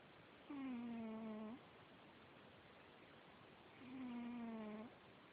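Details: Heavy 25-pound domestic cat making a sound that wakes its owner at night: two long, low, nasal droning tones, each about a second, slightly falling, separated by quiet.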